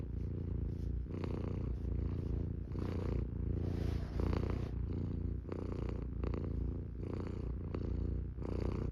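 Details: Purring Norwegian Forest cat, a continuous low throaty rumble with layered harmonics, swelling slightly with each breath cycle, accompanied by faint scratchy rustles and airy exhalations.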